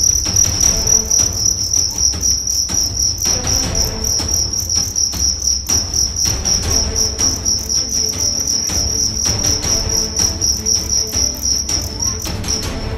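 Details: West Javan fighting cricket from Karawang, size 7 at 1.4 grams, tested for fighting: rapid shrill chirps pulsing about four times a second without pause, with soft low thuds in the background.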